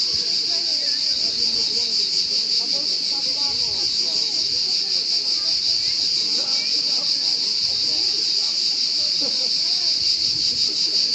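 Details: Continuous high, rasping cricket trill, rapidly pulsed and constant in loudness from start to end; soft, indistinct low sounds and a few faint chirps sit far beneath it.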